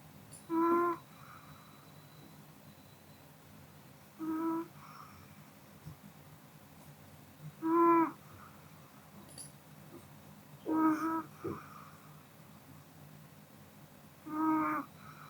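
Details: Kodama, a Pomeranian dog, sleeps indoors after a meal, snoring in short nasal, tonal bursts roughly every three to four seconds, five snores in all, with quiet breathing between them in a still room.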